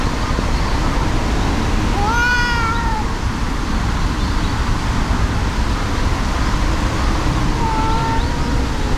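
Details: Fight between two cats: a furious brown tabby-and-white cat and a helpless brown tabby. A loud, sharply rising yowl, rich in overtones, flattens into a held moan. A second, quieter drawn-out wail comes near the end, all over a steady rumbling backdrop.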